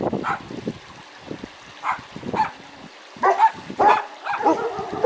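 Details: Real dog barking for young children learning animal sounds: a few loud, separate barks with quiet gaps between them, several coming close together near the end.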